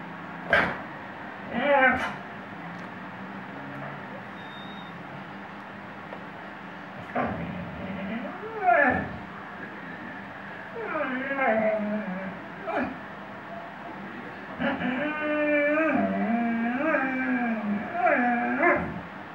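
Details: Weimaraner named Shelby singing: drawn-out, wavering howls that bend up and down in pitch, strongest in the second half, with short sharp sounds and some background voice-like noise earlier.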